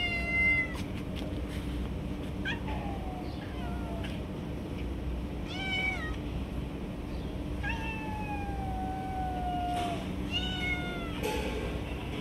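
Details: Stray cats fighting over food, snatching it from one another; repeated meows throughout, several long descending wails and shorter rising calls, a few overlapping, against a constant low rumble.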